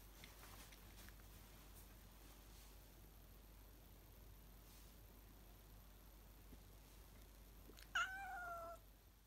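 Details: Domestic cat, a female sharing cheesy nibbles with a younger male cat indoors; near-silent room hiss, then one short meow near the end that starts high and slides downward.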